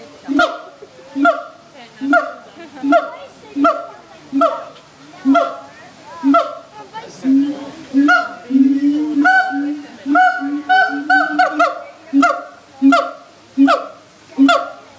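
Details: Siamangs calling at a zoo: repeated hoarse honking barks at a steady pace, broken midway by a longer, rising, excited stretch of overlapping notes before the regular barking resumes; people murmur faintly.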